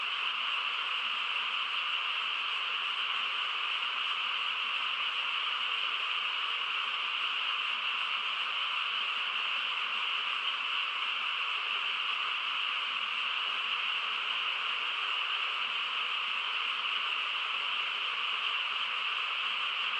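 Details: Quiet countryside at night filled with a frog chorus, a seamless, high, ringing texture of overlapping calls sustained evenly across the whole stretch.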